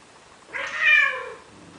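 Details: A male cat in Athens, Greece, gives a single drawn-out, wavering meow, begging a female Siamese cat to mate.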